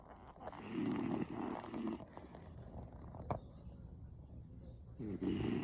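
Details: A sleeping 16-year-old female beagle gives loud, slow, raspy snores, each a rattling low rumble followed by a pause, with a faint click between breaths and low room hum underneath.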